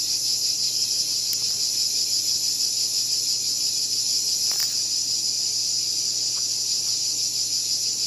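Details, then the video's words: Cicada holding a steady, shrill, high-pitched drone throughout, with a couple of faint clicks in the background. "Cicada Called || ឪរៃអើយរៃយំ"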